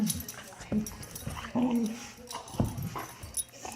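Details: A Boxer playing with an Akita pup gives short, low grumbling growls and whines that sound like a bear, with a person talking nearby.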